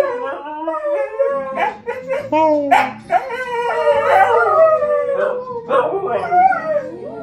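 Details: Two dogs howl to the M*A*S*H theme tune, a response picked up from their owners' singing. Quavering, overlapping howls with sharp yelping breaks swell and fade over low theme music, and a brief human voice is heard.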